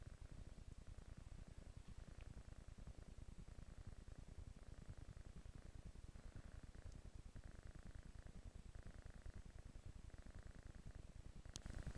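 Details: Purring kitten on a couch, a continuous low throbbing rumble at an even pace, softer mid-range hum behind it and a brief sharp click near the end.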